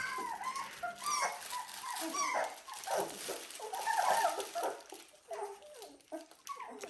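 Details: Seventeen-day-old Dalmatian puppies whining together, soft overlapping squeaks over a hissy background, with a brief faint human voice and light rustling.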